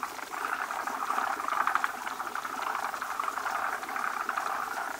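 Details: At a breeding site, numerous male forest green tree frogs crowd a big female carrying eggs as foam-like egg masses are laid. Steady overlapping rattle of quick pulsed clucks forms a constant busy chorus.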